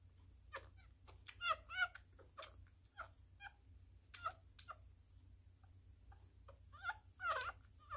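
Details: Newborn miniature schnauzer puppy, a male, being fed and eating messily; brief rising-falling squeaks in small clusters, loudest early and near the end, with soft slurping clicks in between.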